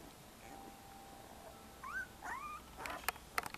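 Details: One-week-old female Alaskan Malamute puppy, red and white, from a 2017 litter; two high whimpers, each rising then bending down, around two seconds in, followed by sharp clicking knocks near the end over faint room hiss.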